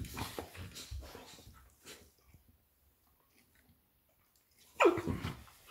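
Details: During play between Labrador Retriever mother Lilly and puppy Molly, low grumbles fade into near silence, then a sharp, high-pitched yelp slides downward, followed by a short rough growl.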